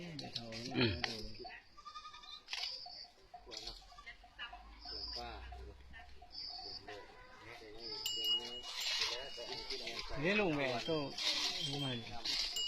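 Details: Goats kept under a goat-raising project in Salavan province, Laos, bleating repeatedly in wavering, quavering cries, several overlapping, while people talk in Lao nearby.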